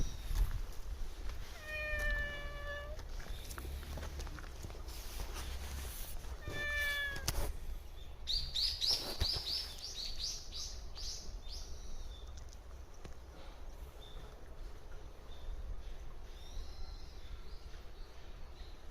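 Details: A stray cat living at a shrine meows while being talked to: two long, clear, drawn-out meows of about a second each, near the start and around seven seconds in, followed by a burst of bright, high chirping sounds.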